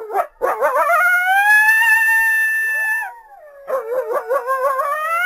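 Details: North American coyote giving a long rising howl that levels off and holds for about two seconds after short opening yips, then a quavering warbled howl that climbs again.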